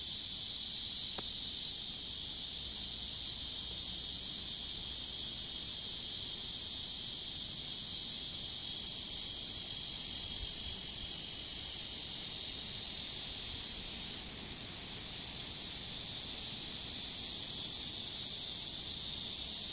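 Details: Chorus of cicadas by a river on a warm summer day, dated 23.7.15: a continuous piercing buzz whose tone shifts slightly about three-quarters through, plus one brief click near the start.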